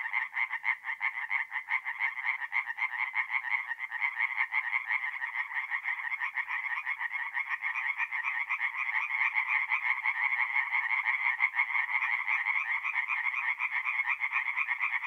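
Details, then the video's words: Night chorus of tree frogs at a forest pond in north-east Italy in mid-April, many voices croaking fast and overlapping into a dense, pulsing rattle, nearly three pulses a second. "relaxing forest pond by night with singing tree frogs"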